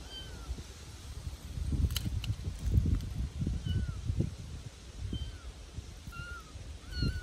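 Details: Young Bengal kittens in a back garden, a handful of brief, thin mews rising and falling, partly buried under louder rustling and thumping from play on the ground.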